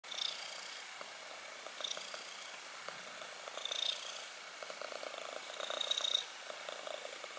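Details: A black kitten purring, a soft, steady rasping rumble with faint rhythmic pulses throughout, a few slightly louder swells and a light hiss in the background.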